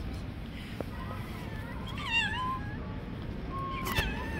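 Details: During a scuffle between two stray cats, where the young one strikes the older one, a long wavering complaining meow swells and falls, followed by a flatter drawn-out cry, over low street noise.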